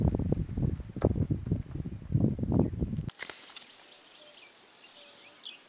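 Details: Splitnose, the Gomondwane coalition's lead male lion, calls to his brothers across the hippo pools area in Kruger National Park with deep, throaty pulsed grunts roughly every half second for three seconds, then a cut to quiet bush with faint bird calls.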